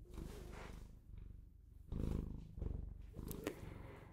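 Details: Bengal cat pet purring softly, low rumble in uneven swells, quieter at first and stronger in the middle, with a sharp click near the end.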